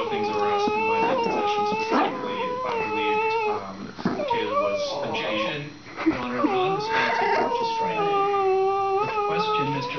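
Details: Shiba Inu indoors making high-pitched noises at a Chihuahua that bothers him while he refuses to share two nearby bones, acting tough. Long wavering whines with strong harmonics slide up and down almost continuously, broken by a few brief gaps.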